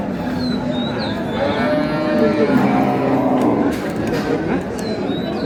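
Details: Cows with calves at Ambari Haat market, Dinajpur, April 6, 2026: a low, drawn-out moo of about two seconds rises from the middle of constant market chatter, with traders' voices calling out around it.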